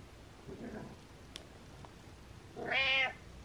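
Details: Domestic cat meowing while rubbing against the camera: a single drawn-out meow with harmonic bands, preceded by a faint softer sound and small taps.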